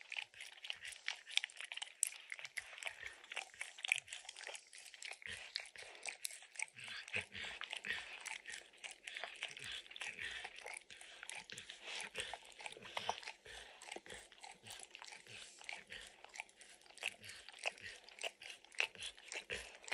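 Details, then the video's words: Max, a dog named Emperor Maximillian, licks peanut butter and kibble from an orange lick mat indoors; steady wet licking and soft crunching clicks, rapid and uneven, with no talking. "Max Licks| Peanut Butter & Kibble from the Orange Mat | ASMR | Dog Licking Sounds"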